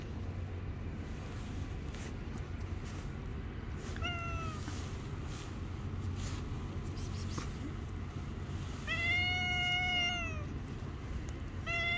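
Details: Stray street cat, angered by being touched and biting the hand, letting out a short meow then a long, loud, slightly falling wail, with constant low traffic hum and soft clicks.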